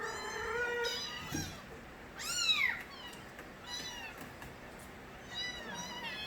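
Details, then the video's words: Stray kittens from Nabi's litter calling in Korea, a few high meows spaced through the recording, one long loud arched cry in the middle, harmonics stacked and bending down at the end, soft background hiss. "새끼고양이들의 우렁찬 울음소리"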